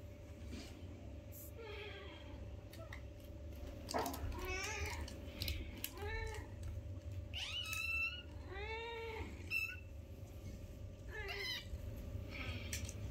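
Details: Newborn kittens, one of a litter of five, playing with their mother indoors: a series of high, arched, harmonic mews about every one to two seconds, some short and squeaky, over a steady low hum and faint rustling.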